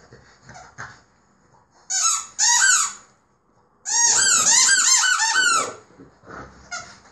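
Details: A French Bulldog puppy playing and growling by itself gives high, squeaky, crying whines in short bursts, with rising and falling yelps.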